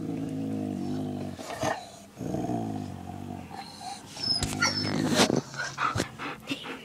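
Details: Male pet dog on a camping trip growling over his toy, a low rumbling growl held in long, steady stretches of about a second or more, broken by brief pauses, with a woman's voice reassuring him.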